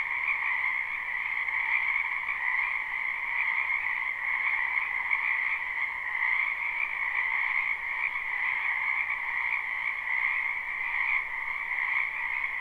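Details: Frogs in a spring wetland near a house, live recording without loops: a constant, shimmering mass of trilling croaks holding two steady pitch bands, with little change in loudness throughout.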